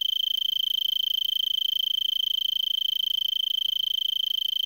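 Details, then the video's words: Arizona tree cricket singing from a brittlebush in Vail, Arizona, at 3300 ft elevation, December 26 around 5 PM, about 70 °F, before sunset; a steady high pulsed trill, rapid even pulses without pause, clean background. "Arizona Tree Cricket"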